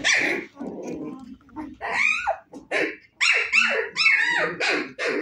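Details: Playful 25-day-old Husky puppies yelping and whining: loud, high, bent squeals come in quick bursts with short gaps, mixed with lower grumbling sounds.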